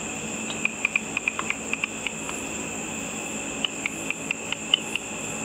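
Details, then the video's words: Ultrasonic calls of bats feeding on insects over a pool after dark, made audible by a frequency divider detector. A quick run of ticking clicks, then a short pause, then another irregular series of clicks, over steady hiss. "A video of bats with audio of the bat calls."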